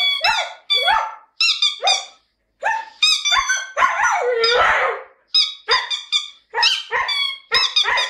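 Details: Indoor Siberian Husky singing out of a lyrical mood, perhaps voicing its doggy feelings: choppy, strained yelps and whines with bright harmonics, one rougher, noisy stretch in the middle, then more short falling cries.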